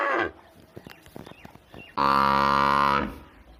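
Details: Cow from a village scene giving a single steady, flat moo of about one second, preceded by a brief muffled sound and scattered faint clicks.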